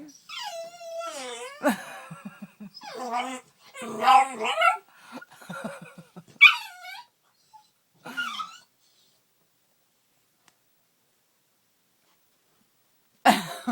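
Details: Pitbull puppy DeNero, indoors in a bedroom, too frightened of a flame point Siamese cat to pass her to the only way out; high, descending nasal whines in bursts over about eight seconds, some with throaty pulses, then quiet.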